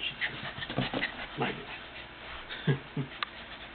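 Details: Lhasa Apso puppy playing, recorded June 16, 2007: quiet, short scuffly bursts and soft grunting yips come in irregular clusters, with a sharper squeak near the end and faint human speech in the room.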